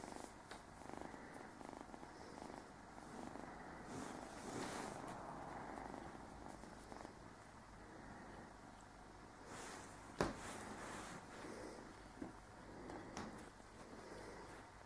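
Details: Low, rhythmic purring from Speedy, a 9-10-week-old male Burmese kitten settling into his new home, with a sharp knock and a few rustles partway through.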